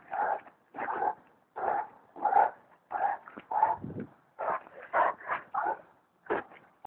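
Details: A Bully Kutta barks about eleven times in seven seconds, short hoarse mid-pitched yaps in uneven clusters, some doubled, with brief silent gaps between them.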